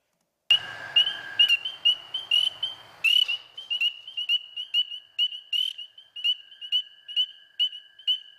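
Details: A spring peeper in the eastern US, a sign of spring, begins calling with shrill, high, piercing whistled peeps in quick succession while American toads give a steady, lower trill in the background.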